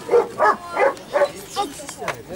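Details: German Shepherd Holger, winner of the Dogs Villages Cup 2015 in Ukraine, during an escort-dog trial of protection training, gives a run of about six sharp barks in quick succession, roughly three per second, fading toward the end.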